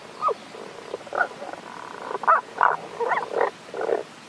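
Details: Tago's brown frog calling, unseen, from a mountain stream in Japan's Kanto region on 1 April 2021; short, low, grunting croaks come singly and in pairs, about seven over four seconds, against a quiet background hiss.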